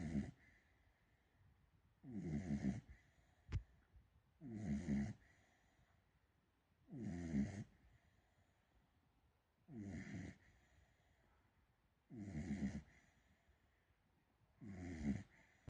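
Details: Female Beagle puppy asleep, snoring: seven deep, rasping breaths spaced about every two and a half seconds, each a short rough burst separated by quiet pauses. A single sharp click sounds near the middle.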